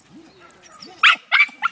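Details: Tara the terrier, worked up over a rat in a can, lets out three short, sharp barks in quick succession after a brief soft whine.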